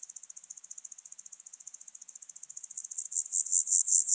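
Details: Alpine grasshopper recorded at Obir, Austria, on 30 July 2022: a long run of soft, rapid, high-pitched scratchy pulses that swells near the end into louder, broader buzzy syllables at about five per second.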